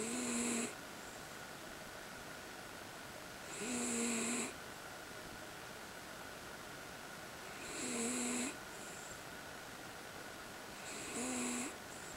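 A Miniature Schnauzer snores in slow, rasping breaths, each about a second long and spaced nearly four seconds apart.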